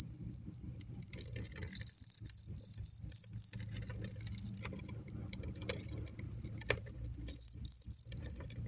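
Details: Two crickets set against each other in a fight, one called strong (sotang), the other crazy; shrill high trilled chirping pulses almost without break, with a faint low rumble beneath.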